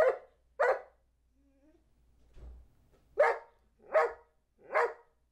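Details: Two-year-old Old English Sheepdog Charlie B., taught to count to 12, barks twice, pauses while a person murmurs softly, then gives three more evenly spaced barks indoors.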